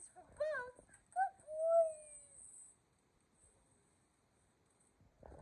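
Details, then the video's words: Excited whimpering from the pet dogs Kumo, a Keeshond, and Sully, a Boston Terrier, welcoming their owners back from vacation. Two short yelping whines lead into a longer falling whine, then the room goes quiet. "Our Dogs Are SO Excited That We’re Home From Vacation!"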